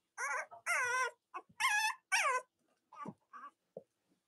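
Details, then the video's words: Cavalier King Charles Spaniel puppies in a litter, indoors on a chilly Monday morning near Halloween, give high, wavering whines and yelps in quick overlapping bursts, followed by shorter soft squeaks. "Cavalier Puppy Live Stream: Robin & Myra's Puppies"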